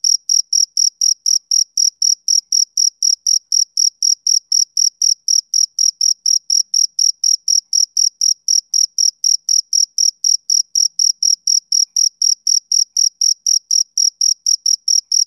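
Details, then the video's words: On a summer evening a male cricket chirps without pause: a long run of sharp, high, ringing pulses, about four each second, keeping a regular beat from start to finish with nothing else audible. "Cricket Chirping Sound Effect"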